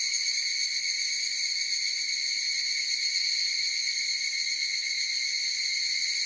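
A chorus of evening cicadas gives a steady, high, ringing drone that fills the air without pause.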